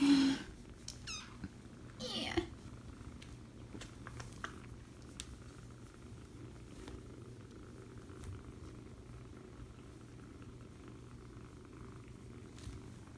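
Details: Foster kitten purring as it is cuddled, back claws tickling: a brief human voice and a squeak at the start, then an even, low, unbroken purring rumble for the rest.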